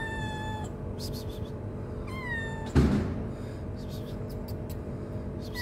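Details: Very hungry stray kitten on the street giving short falling meows, two clear cries in the first half and a third starting at the end, with a loud thump in between and constant low rumbling background.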